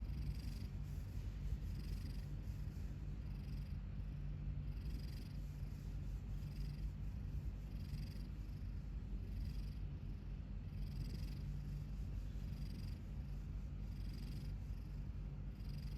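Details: Domestic cat asleep with its mouth held open after a tooth caught on its lip, giving a steady low rumbling snore with soft breathy hisses recurring about every second and a half through a quiet room.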